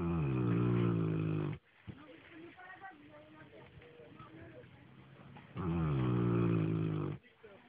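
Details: Newfoundland dog snoring: two long, loud, low rumbling snores with stacked harmonics at the start and end, separated by quieter breathing and faint background sounds indoors.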